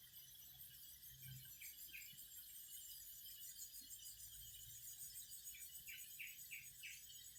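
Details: Singing cicadas: a steady, shrill high-pitched hiss runs through the whole recording, with a few faint, short pulsed notes near the start and a brief run of them toward the end.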